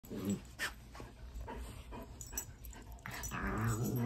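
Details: Chocolate Labrador Retriever growling while playing with a pet rat indoors: low rumbling growls throughout, rising in loudness toward the end with a few higher tonal whines.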